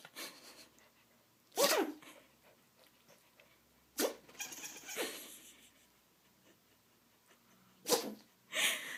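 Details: Pet dog Ziggy sneezing oddly: abrupt explosive bursts near 1.6, 4.0 and 7.9 seconds, followed by hissy breathy exhalations and snuffling, with a faint low hum in the quiet background.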